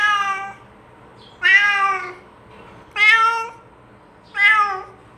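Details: Domestic cat meowing to call its companions to eat together: four clear harmonic meows, each about half a second, repeated roughly every one and a half seconds, some rising then falling, in a quiet room.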